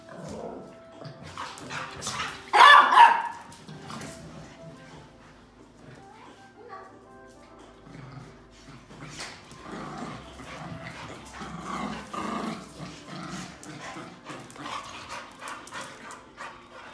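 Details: Three pet dogs scuffling together in play, with short barks and growly yelps scattered through the scrap, one loud burst near the start, over background music and human speech.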